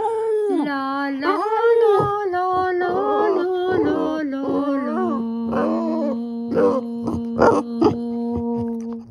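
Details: A Boston Terrier joins a person singing "My Bonnie Lies Over the Ocean", giving wobbling, sliding howls early on. These settle into long, steady sustained tones near the end, blended with the human voice.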